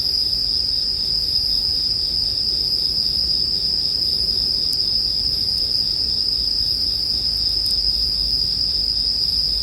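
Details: Bell cricket chorus ringing high and constant, with a few sharp crackles from a bonfire now and then, in calm night ambience meant for sleep.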